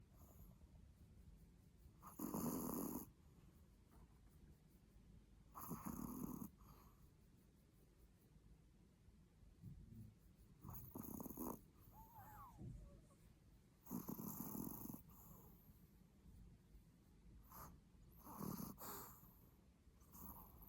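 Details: Sleeping Pomeranian snoring, loud enough to wake someone: rough, breathy broadband snores at irregular intervals of about three to four seconds, with quieter breathing between them.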